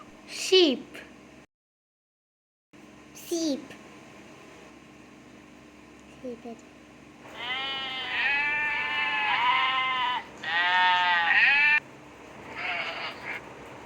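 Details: Sheep bleating, heard in a children's lesson on animal sounds: a long, quavering bleat of about three seconds, then a second shorter bleat. A child's voice repeats the name before the bleats.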